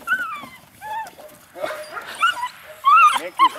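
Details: H litter puppies, eight weeks old, two males and two females, playing: a string of high arched whines and yelps, some drawn out and falling, a loud squeal around three seconds, with soft rustling between.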